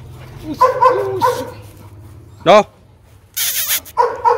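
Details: Rottweilers at the Gervi kennel: father Bruno, a Latvian junior champion, meeting his seven-month-old son Igor. One sharp, loud bark lands midway, framed by human voices before and after and a brief burst of broadband noise.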